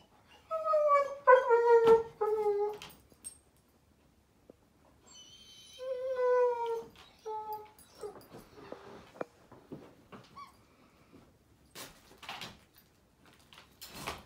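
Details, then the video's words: Daisy the German Shepherd puppy crying because it's bedtime, recorded 15 May 2021: a run of descending whines opens, then a second cluster of falling whimpers, followed by indoor shuffling and knocking noises. "Daisy the German Shepherd Puppy Crying Because it’s Bedtime"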